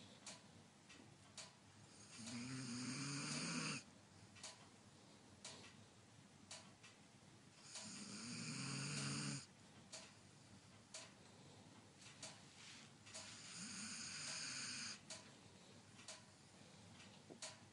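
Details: Sleeping German Shepherd whimpering and snoring indoors: three long, drawn-out snoring breaths roughly six seconds apart, each carrying a low droning hum with a hissy edge, separated by faint clicks and quiet breathing.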